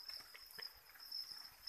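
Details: Crickets on a farm, fed with chick feed, hold a thin continuous high trill while soft irregular ticks and scratching sounds pop up around it.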